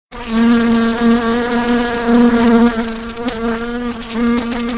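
A fly's wings produce a continuous, low droning buzz with a rich, nasal tone. The pitch holds nearly steady, dipping and swelling a little as the insect shifts position.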